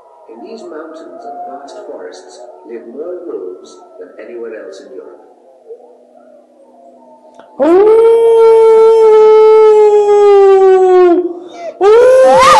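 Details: Hound dog howling in reply to wolves: faint, wavering distant howls at first, then a loud, long, steady howl that sags slightly in pitch, and a final abrupt rising howl.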